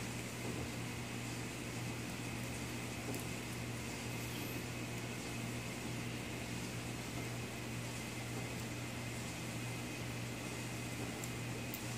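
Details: Only a steady mechanical hum, like a fan or air conditioner, fills an indoor room, with no animal voice heard.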